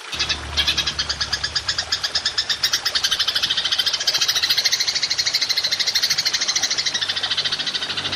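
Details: Golden grasshopper (belalang emas) recorded as songbird training material, giving a long 'nembak panjang' call: a dense, rapid, even train of high buzzy pulses, steady throughout with slight swells in loudness.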